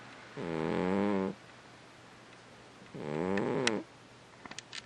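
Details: Snoring cat, two drawn-out raspy breaths about two seconds apart, followed by a few faint clicks.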